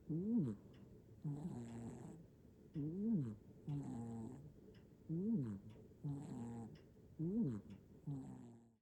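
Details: Nana-chan, a black-and-white hachiware cat in Japan, sleeps soundly and snores, recorded on an iPhone 15 Pro Max indoors; soft rhythmic nasal snores with wavering tones alternate with breathier rasping exhales, one cycle roughly every one and a half seconds.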